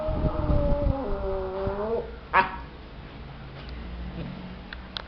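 A Maltese gives a drawn-out, wavering whine that dips slightly in pitch, followed by a sharp click.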